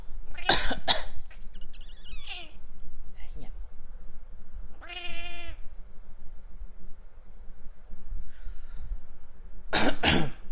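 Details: A male Bengal cat, reacting to fake coughs, gives a short, clear meow between a person's loud, harsh coughs.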